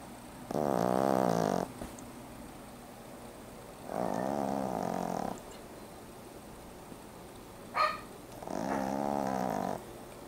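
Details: An 11-week-old male French Bulldog puppy snores while asleep in long, rattling, buzzy breaths about every four seconds.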